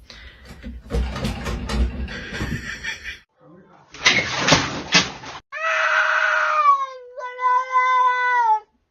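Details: Pet cat indoors giving a long, drawn-out meow that starts high and slides slowly downward, a shorter wavering meow after it, preceded by a person talking and clattering noise.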